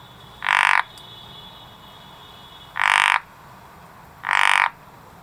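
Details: Three rasping, pulsed croaks from a frog in a garden, the first gap longer than the second, over quiet background hiss and a faint steady hum.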